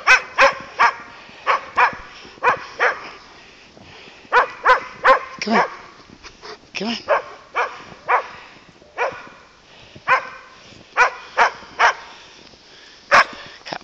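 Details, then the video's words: Landseer Newfoundlands having fun together at a dog boarding facility, barking steadily in short bursts, roughly twenty loud barks over fourteen seconds with brief gaps, one deeper grunting sound mid-way, and a person calling to the dogs. "Landseer Newfoundlands having fun, fun, fun"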